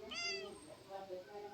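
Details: A female pet cat, described as quarrelsome, sulks after being told she will get no massage; she gives a single short, bright meow lasting about half a second with rich harmonics, followed by low room murmur.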